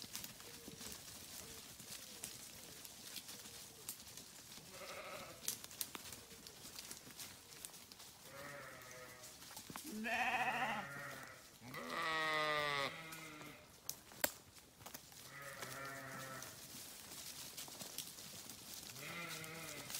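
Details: Grazing sheep on a farm bleating repeatedly: several harmonic, wavering bleats of about a second each from around five seconds on, with sharp clicks and background rustle between calls.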